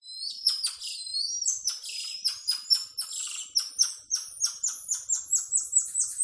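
Tamarins give rapid, very high-pitched chirps and thin whistles in a quick, steady series.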